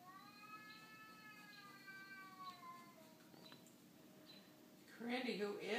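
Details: Cat calling to another cat through a window, a first meeting: one long, slowly falling, wavering meow lasting about three seconds, then a woman's voice speaking over faint room hum.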